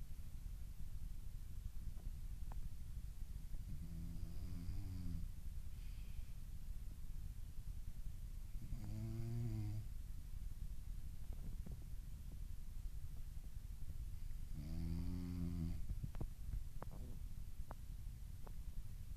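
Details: Three deep, vibrating snores come from a French Bulldog that is asleep and dreaming, each lasting about a second and spaced roughly five seconds apart, with faint ticks and soft indoor hum between breaths.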